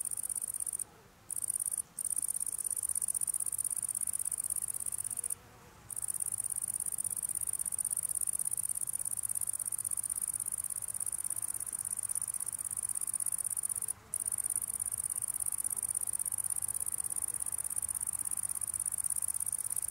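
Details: Italian tree cricket, filmed close up while feeding: a continuous, very high, shrill trill that runs almost unbroken for the whole stretch, with brief silent gaps near the start, in the middle and toward the end.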